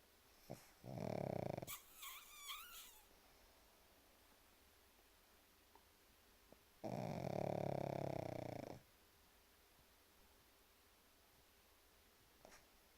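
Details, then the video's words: Sleeping pug snoring: two long, rough, rasping snores about six seconds apart, with a brief squeaky, wavering sound after the first and faint clicks in an otherwise quiet room. "Спящий храпящий Мопс"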